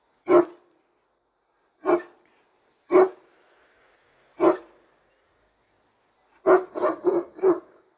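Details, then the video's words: Turkish Great Dane barking from behind a bar: four deep, loud single barks spaced one to one and a half seconds apart, then a quick burst of four barks in close succession near the end. "behind the bar Frightening Sounds of Turkish Great Dane"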